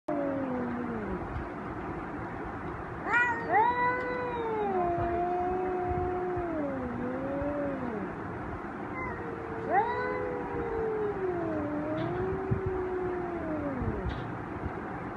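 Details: Two angry male cats in a fight trade long, drawn-out wavering yowls, pitch sliding up and down and overlapping, with a sharp rising cry midway and a second bout of moaning howls afterward.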